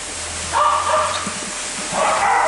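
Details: Husky named Oakley at day care giving two drawn-out tonal yowls, each under a second, separated by a short gap, over steady background hum and murmur.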